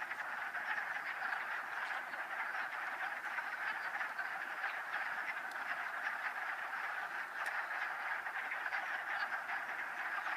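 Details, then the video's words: Wood frogs gathered in a mating ball in a vernal pool east of Town Park, Old Saybrook, Connecticut, on 13 March 2013. A dense, unbroken chorus of overlapping, rasping croaks fills the whole recording, with no pauses between callers. "Wood Frog mating ball"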